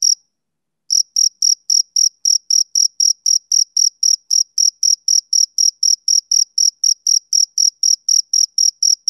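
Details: Male cricket chirping on a summer evening: after a brief silent start, a steady run of sharp, high chirps, about four a second, each pulse evenly spaced and equally loud, with no other sounds.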